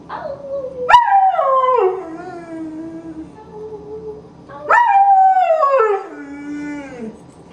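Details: Foster greyhound rooing: two strong howls, each starting with a sharp rising onset then holding and sliding slowly downward into a fading moan, with a low hum underneath.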